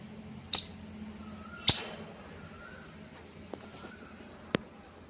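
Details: Squirrel giving two short, sharp, high-pitched chirps about a second apart, each with a bright ringing overtone, followed by near quiet with a few faint ticks and clicks in the background.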